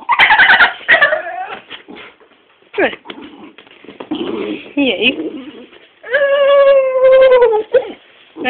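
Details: A pet Staffordshire bull terrier, a female unable to bark, converses with her owner: grumbling, squeaky yips and mutters lead into a long, sustained, slightly falling moan-like whine near the end, with quiet human speech around it.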